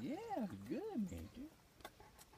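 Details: Jack, a Great Pyrenees, vocalizing while being hand-fed bites and giving high fives to his owner: two smooth, rising-and-falling harmonic moans in a 'woo-woo' pattern, then a shorter lower fragment, with faint clicks afterward.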